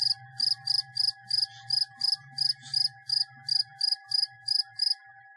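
A cricket chirps in short, even pulses, high and bright, repeated about every half second.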